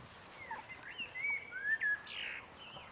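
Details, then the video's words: Boston Terrier puppies aged six weeks letting out long, drawn-out high whines that rise and fall, with a louder squealing peak just before the two-second mark. "boston puppies 6 weeks"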